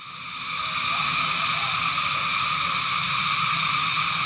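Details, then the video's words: Cicadas in Benguet, Cordillera region, unusually loud, buzzing as a continuous high-pitched wall of sound with even layered tones that build in the first second and then hold steady. "Grabe, sobrang lakas ng kuliglig, Trippers."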